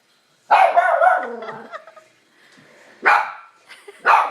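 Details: Dog barking at a man sneezing: a loud harsh bark at the start trailing into a groan, then two more sharp barks near the end, indoors.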